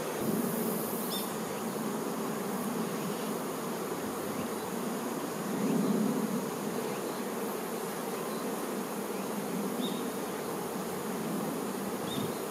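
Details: Many honey bee workers caring for their queen, producing a thick, continuous buzzing hum that swells slightly now and then, with a short hiss at the start and faint ticks scattered through.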